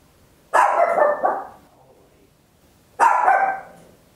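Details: Small Papillon dog at home letting out loud barks, recorded with an Olympus LS-11: a drawn-out double bark followed by a pause and one longer bark.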